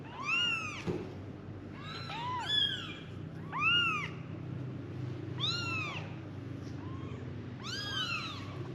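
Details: Five kittens crying for their mother, high arched mews overlapping at about one per second, over a steady low background hum.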